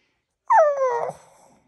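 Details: Boston Terrier barking while its owner is on the toilet: a single drawn-out, whiny yelp that starts high and slides downward, tonal with clear overtones, lasting about half a second before trailing off.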